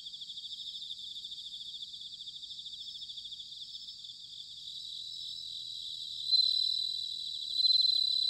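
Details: Japanese autumn night sound of bell crickets at Sanuki, Chiba: rapid pulsed high trills repeated in steady bursts, later a nearby singer swells into a clear, louder ringing tone twice.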